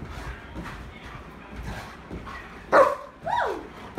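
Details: Happy German Shepherd dog spinning around while encouraged with praise: a sharp bark followed by an arching, rising-then-falling whine, over faint background chatter.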